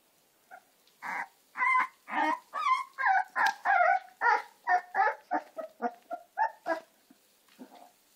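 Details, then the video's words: American Staffordshire terrier puppies giving a run of about fifteen short, high yelps and squeaky barks, roughly two each second, tapering off into softer whines near the end. "American staffordshire terrier cachorros"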